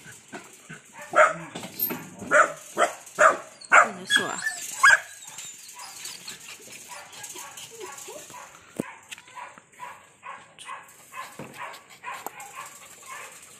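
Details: Belgian Malinois guard dogs bark in a loud burst of sharp, repeated woofs, then fade under chatter.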